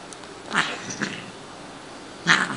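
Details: Shiloh, a female Siamese cat once found as a tiny kitten at a grocery store loading dock, vocalising during playtime: two short, harsh cries about two seconds apart, with quiet room background between them.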